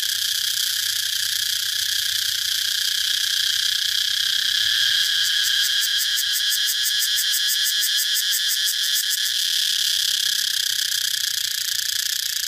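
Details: Cicada call: a dense, shrill, continuous buzz that swells into a fast rhythmic pulsing for about four seconds midway, then settles back to a steady drone.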